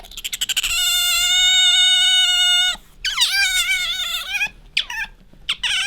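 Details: Bingo the pet otter rubbing up against its owner: quick pulsed chirps lead into a long level whistled squeal of about two seconds, followed by wobbling, falling squeaks and short chirps.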